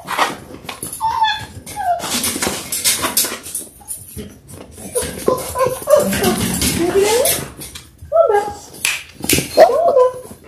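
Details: Six-week-old Labrador Retriever puppies, a litter of six born January 18, 2022, on a live puppy cam on February 28; short rising and falling whimpers come in scattered bursts, with a human voice talking and rustling in a small room.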